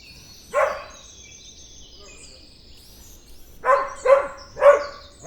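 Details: Dog gives one hoarse bark, falls quiet for about three seconds, then lets out three quick barks in a row; small birds chirp faintly behind.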